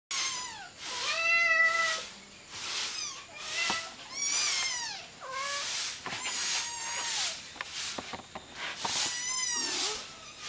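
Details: Several hungry kittens meowing while feeding on their mother's milk, jostling for the teats: many high, wavering mews overlapping in quick succession, some rising then falling, with breathy noise bursts between them.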